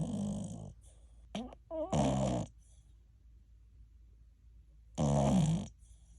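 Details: Sleeping ten-month-old American Cocker Spaniel TuTu gives deep, throaty, old-man-like snores. Heavy buzzing snore bursts are separated by near-silence, and a few brief higher nasal whines sit between the first two snores.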